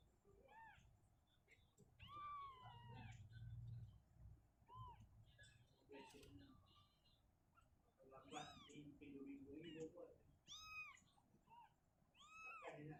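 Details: Shizuka, a mother cat, moves her kitten out of a cabinet to an open area indoors; several rising-falling meows, some higher and thinner, over a low murmur of human voices.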